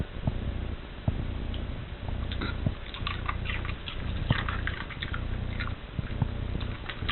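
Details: Dog munching a cabbage core, a food it loves, eaten one piece after another indoors; dense crisp crunching clusters roughly once a second, with a low steady hum underneath.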